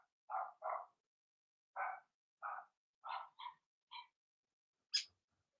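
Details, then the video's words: Litter of Blenheim Cavalier King Charles Spaniel puppies in the puppy pen: a string of barks rising into higher, thinner yips, ending with one shrill squeaky yelp, quiet between calls. "Cavalier Puppies Bark, Howl"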